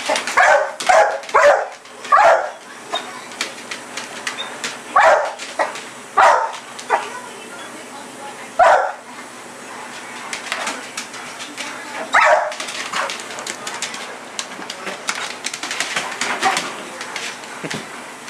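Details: Night-time play in the yard: pit bull Sasha chases a red light, letting out clusters of sharp barks early on, then quieter scattered yips and whines, with some human talk in the background.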